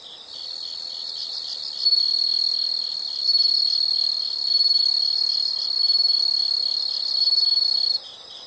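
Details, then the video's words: Insect sound from a nature recording: a continuous high, shrill trill running almost the entire stretch, swelling louder in several waves, over a faint background of fast pulsed chirping. "the sound of insects"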